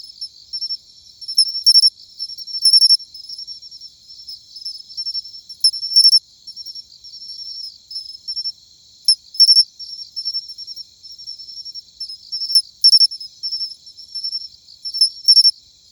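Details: Matsumushi cricket singing in autumn, a high, bell-like chirping: bright clicks in twos and threes, rendered chin-chiro-rin, recurring every few seconds over a faint continuous high trill, with no other sounds.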